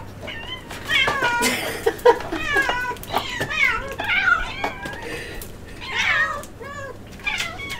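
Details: Several kittens wanting egg, crying in loud, overlapping meows with rising-falling harmonic arcs, many calls packed into a few seconds, some short and sharp, others drawn-out and wavering, indoors with faint background hum.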